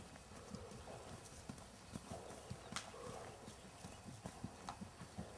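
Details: Hoof strikes from Jerry, a registered 3-gait Tennessee Walking Horse, six years old, keg-shod and never on pads, shown under saddle: rapid, evenly spaced thuds with occasional sharper clacks over a steady outdoor noise bed.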